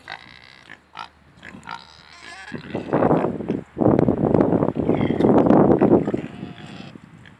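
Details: Pot-bellied and Mangalica pigs, four animals, starting with a few short squeaks, then loud, rough, rapid grunting and snorting in dense bursts, likely close by.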